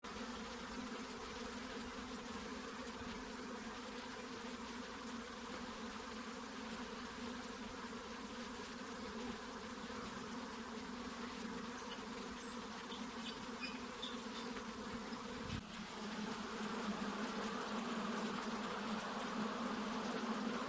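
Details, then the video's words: Honey bees buzzing, a steady dense droning hum with layered low tones that continues throughout and grows louder and brighter toward the end. "Honey Bees Sounds | Bees Sounds | Bee Buzzing Sound Effect"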